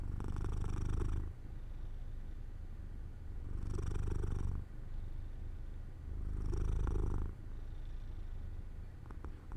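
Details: Domestic cat Jojo dozing off by a sunny open window, purring steadily: a deep continuous rumble with three louder breathing swells about every three seconds, each followed by a softer lull.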